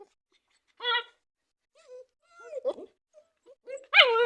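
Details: German Shepherd puppies at play, trying to bite the camera, mix thin rising whimpers and whines with short squeaky yips, ending in a louder drawn-out yelping whine.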